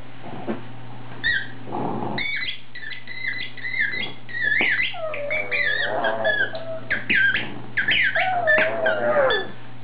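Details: Foxy Brown, a pet pug, worked up while squeaking a toy by herself, giving a half growl, half howl: wavering whiny howls mixed with rapid high squeaks of the toy, indoors over a steady low hum.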